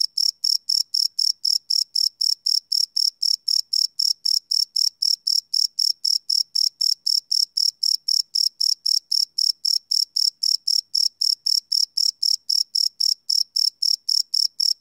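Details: Crickets singing at night, captured live on a Sony PCM D100 field recorder: an unbroken run of high, ringing chirps at a fast, very regular pace for the whole stretch, with no other noise.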